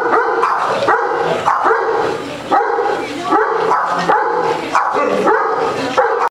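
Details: At a doggie day care in Las Vegas, a Basset Hound playing with a ball and getting the zoomies gives deep, drawn-out, hoarse, mournful baying barks, repeated roughly every second.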